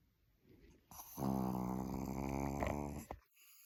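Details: A dog asleep indoors gives one drawn-out, vibrating snore of about two seconds, low and raspy with a steady buzzing rattle, preceded and followed by soft breathing and near silence.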